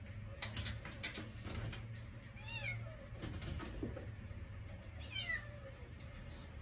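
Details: Cat that has stayed on a house porch for two days, trying to get inside, gives two drawn-out meows that slide downward in pitch, about two and a half seconds apart, over a steady low hum and a few short clicks.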